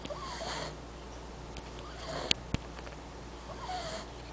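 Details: Sage, a French Bulldog pup, snoring indoors: soft, noisy breaths rise and fade roughly every three seconds, with a couple of sharp clicks in between and a low steady hum beneath.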